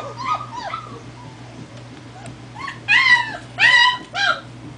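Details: Four-week-old German Shepherd puppies on their first walk about, giving high, arching whimpers and yelps in short bursts, some rising then falling, a few louder squeals near the end, with a steady low hum beneath.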